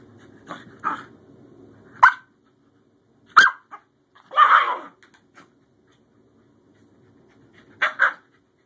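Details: Scottish Terrier Bjorn, a new adoptee, tussling playfully with older sister Savannah; irregular harsh barks, one drawn-out rough bark-growl in the middle, a low rumbling growl early on, and a closing double bark.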